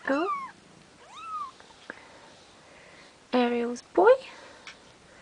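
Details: Bengal kittens just over two weeks old, Ariel and Dream's litter, give several thin, high meows: an arching squeak, a rising-then-falling mew, then two louder harmonic cries near the end, with quiet room noise between.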